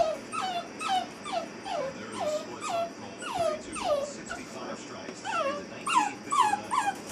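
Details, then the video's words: Molly, an eight-week-old Basset Hound puppy in a crate for the first time, cries in a fast, uneven run of short, high, downward-sliding whimpers, roughly two per second, with no pause between them. "Basset Hound Puppy Howling"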